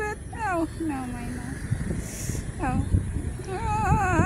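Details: Meows from street cats, several in a row: falling, drawn-out cries, one longer and sliding downward, then a brief yelp and a wavering, quavering meow at the end, over low background rumble.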